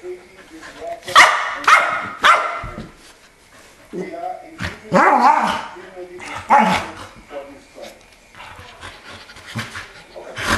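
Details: Keeshond dogs barking indoors. Sharp, loud barks come in a quick run of three near the start, then more barks in the middle, with human speech between them.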